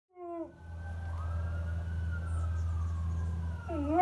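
A dog howls in a wavering, falling voice against the long steady wail of a passing siren.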